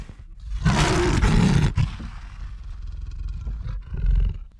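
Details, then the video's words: Lion roaring: a deep, rough, broadband roar swells after a brief low rumble, holds loud for about a second, then trails into lower grunting rumbles with a final shorter surge near the end. "Real Lion Roar Sound Effect"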